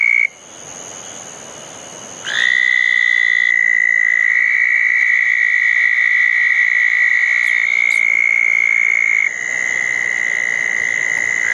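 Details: Around small backyard ponds after a June 2014 thunderstorm, several southern toads call at night. After a quiet, softer opening, a strong sustained trill bursts in at about two seconds, and overlapping trills at slightly different pitches carry on to the end.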